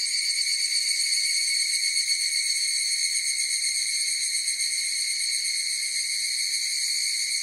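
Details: A chorus of higurashi cicadas makes a continuous bright, metallic whine that shimmers with quick pulses and holds an even loudness throughout, with nothing else heard.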